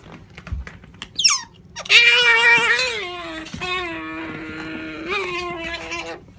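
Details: Sakura, a female otter kept as a pet, wanting jerky: a short rising chirp, then a long, loud, harmonic whining squeal that sags slightly and trails off over several seconds.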